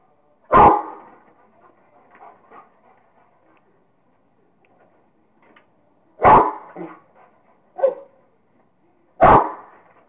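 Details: Barking from Kingston, a Rottweiler having fun playing with a squirrel: four loud, abrupt barks spaced irregularly over ten seconds, with faint soft huffs between them.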